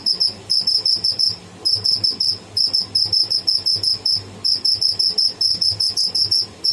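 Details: A live cricket (tidda) calls with bursts of very high, shrill pulses grouped into short runs, each run separated by brief pauses, repeated steadily.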